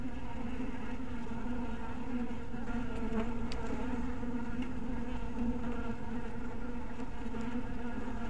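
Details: Honey bees in a bee house at dusk keep up an unbroken low drone rich in overtones, with a few faint sharp clicks near the middle.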